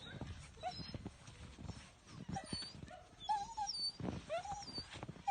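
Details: Male German Shepherd puppy at 12 weeks gives a few thin, wavering whines and short high yips among dull knocks and rustling handling noises.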